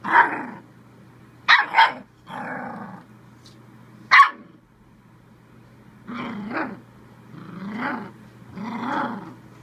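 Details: Bull Terrier pup barking at the camera while playing and having fun: sharp, broadband barks and growly yaps in bursts, some doubled, spaced irregularly over several seconds, with softer grumbling vocalisations between them.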